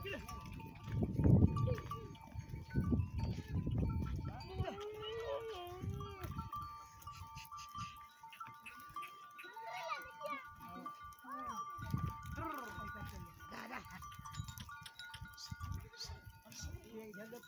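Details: A herd of goats returning home from the forest at dusk in the Thar Desert. Wavering, drawn-out bleats rise and fall in bursts, over steady ringing bell tones and low rumbling movement.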